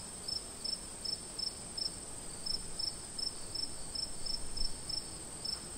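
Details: Crickets on a summer night: short bright chirps repeated roughly every third of a second in a steady rhythm, over a continuous high-pitched shimmer and a soft low background hiss.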